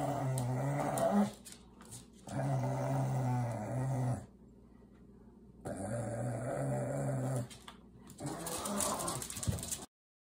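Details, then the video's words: Pugs Ernie and Milo tugging at Ernie's favorite shoe; steady low growls of about two seconds each, with a whimpering edge and a quiet stretch between them, ending abruptly. "Pug Tug of War"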